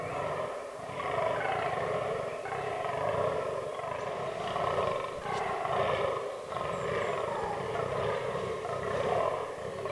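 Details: Rutting fallow bucks in an autumn forest, in a herd with albino and melanistic animals. Harsh, throaty belching groans repeat roughly every second or two in short runs with brief pauses, against a constant low rumble.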